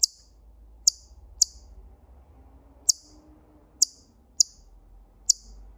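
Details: Siberian chipmunk calling with seven short, piercing, high-pitched chips at uneven intervals, some close together and others a second or more apart, against faint low rumble.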